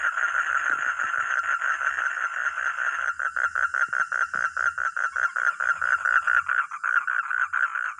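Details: A frog or toad call opens as a near-continuous buzzy trill for about three seconds, then breaks into distinct pulsed croaks repeated several times per second.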